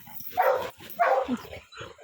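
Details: Two short, rough barks from Cake, an American Pit Bull Terrier, a fraction of a second apart, followed by a softer grunt-like sound.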